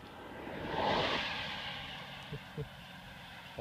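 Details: Roadside recording of a passing engine or aircraft swelling and fading, followed by a couple of soft knocks; no animal calls are heard.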